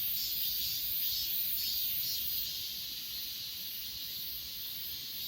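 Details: Grass insects on Achasan filmed with an S20 Ultra: a dense, steady high-pitched shimmer with soft pulsing chirps about twice per second, a continuous natural chorus with no other clear sounds.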